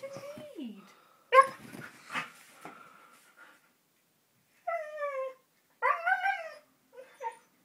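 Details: A 15-month-old Siberian Husky, excited and wanting to go out for a walk, "talks" in drawn-out, falling, yodel-like whines and woos.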